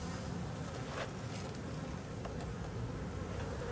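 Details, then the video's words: Steady droning hum from a honey bee colony in a drone-laying hive, frames full of drone brood being inspected; dense low buzzing throughout with brief higher ticks from handling. "Ruche bourdonneuse"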